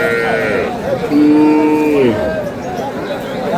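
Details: Cow at the Aftabganj haat cattle market in Dinajpur on April 11, 2026, where cows are sold with their calves; one steady, drawn-out low moo of about a second, heard over dense crowd chatter and market bustle.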